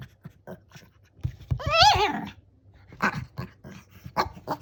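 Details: Shih Tzu in a dog lesson making its 'gao' sound: a wavering, tonal whine that rises and warbles for under a second, framed by soft huffs and short breathy noises indoors.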